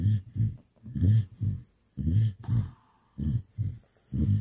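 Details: Nighttime snoring from a Samoyed that woke its owner; grumbling low snorts in double pulses with short pauses, plus a brief faint higher tone midway.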